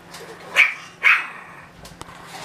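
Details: Russian Toy puppy nearly two months old giving two short, sharp, high yapping barks about half a second apart, then a faint click and quiet room hum.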